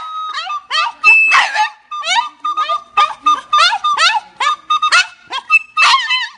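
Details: A French bulldog singing: a string of short, rising-and-falling yelping howls, roughly two per second, with wavering high harmonics. A steady whistle-like tone runs underneath.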